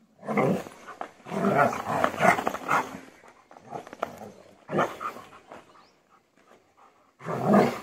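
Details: German Shepherd in aggression training barking in heavy, rough bursts, several bouts separated by brief pauses, with a handler giving commands nearby.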